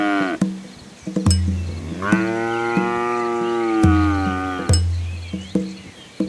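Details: A village cow, hungry while eating, gives a long, deep, drawn-out moo, with sharp clanks and knocks around it.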